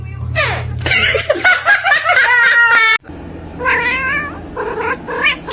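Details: Pet cat yowling in two bursts, harsh wavering meows stacked with bright overtones, the first run long and strained, the second shorter and choppier, with room noise beneath.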